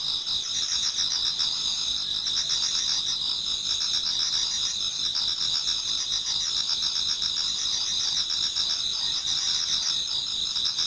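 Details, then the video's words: Autumn insects in a Japanese garden near dawn, many singing at once: a steady high-pitched ringing drone layered with rapid pulsed chirping, unbroken throughout and free of other noises. "Autumn Insects voice Towards dawn"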